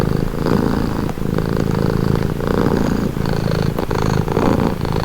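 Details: Soothing domestic cat purr, a rough low throbbing rumble alternating between inhaled and exhaled phases roughly every second, intimate and constant.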